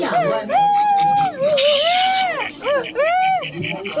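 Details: Silvery gibbon calling: a long, steady, clear whistled note, then a run of short rising-and-falling whoops with bright overtones, the last two swooping arcs ending the phrase.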